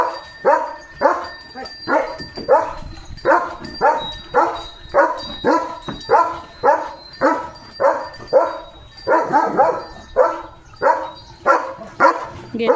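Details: Leo, a German Shepherd kept as a pet, barks continuously while running off with a shoe in his mouth: about twenty punchy woofs in quick succession, a faint steady tone humming behind them.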